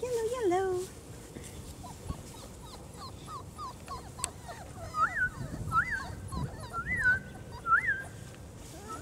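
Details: German Shorthaired Pointer pups aged four weeks explore outside for the first time. One whine opens the clip, then a sequence of rising-and-falling squeaky whimpers repeats about once a second under soft human chatter.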